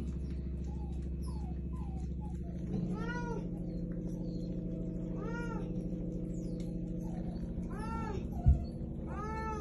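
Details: Shelter domestic cat in Russia meowing while being asked what it wants to say; four arched, rising-then-falling meows around the middle and end, steady low hum underneath and a brief knock near the end.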